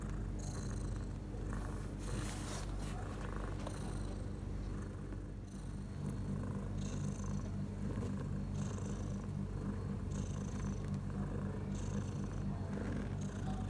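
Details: Mother cat purring six hours after giving birth to four kittens, three males and one female, in a prepared birthing nest at home; a steady low rumbling purr throughout, with soft airy hiss bands recurring roughly every one to one and a half seconds.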